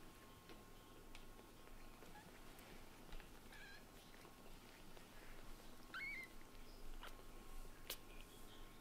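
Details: Frustrated white-and-brown short-haired kitten Latte, ignored by his returning mother Lulu, gives a couple of brief high meows, one mid-clip and a clearer rising-falling one later, against a quiet indoor hum with small knocks.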